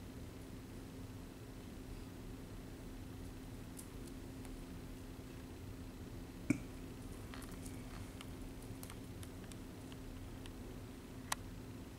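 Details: A quiet indoor room with a low electrical hum and a few scattered soft clicks and taps, with no animal voices heard.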